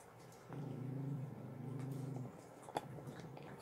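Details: Staffordshire bull terrier and whippet indoors on a bed, chewing sterilized bones; a low, steady rumbling growl holds for nearly two seconds, then fades into soft shuffling and a single sharp click.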